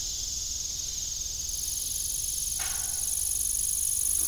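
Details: Evening crickets at an old farm with a broken windmill, a continuous shrill high trill filling the clip, with one brief lower creak near the middle.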